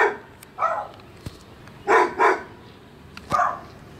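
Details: Neighbouring pet dog next door, filmed with a Sony FDR AX100 camera: four short, gruff barks spread over four seconds, with a quick double bark in the middle, plus two sharp clicks between them against quiet background hiss.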